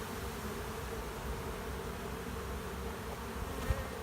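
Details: Honey bees of a swarm entering an empty driveway hive, fanning along its leg: an unbroken, even, low buzzing hum with no other voices, ending in a single faint knock.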